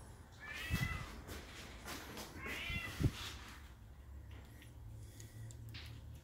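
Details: Bengal cat with kittens, giving two short harmonic meows in the first three seconds over a low steady rumble and faint handling noise.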